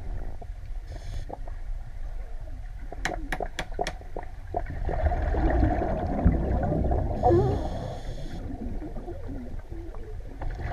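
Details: Underwater, a male grey seal (Halichoerus grypus) claps its flippers together in a quick series of sharp, cracking bangs, trying to catch a female's attention.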